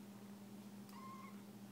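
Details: Three-week-old foster kitten Kiwi, searching for a nipple and nosing at a blanket, gives one short, thin, steady mew over a low electrical hum.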